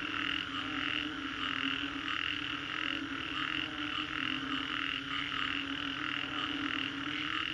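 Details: Dense chorus of many frogs after a storm at the Green Corridor in Singapore. Overlapping croaks form a steady mid-pitched wall that pulses softly, over a constant low hum.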